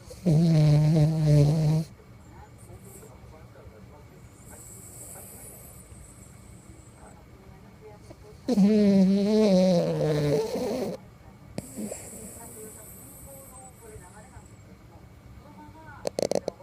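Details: Toy poodle asleep, snoring loudly: two long, low, droning snores with a nasal buzz, each under two seconds and about seven seconds apart, separated by quiet breathing against a faint room hum.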